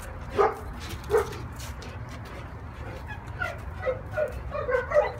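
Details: Neapolitan Mastiff, 16 months old, giving a few short deep barks spaced about a second apart, followed by a quicker run of softer yips and whimpers, with a steady low background hum.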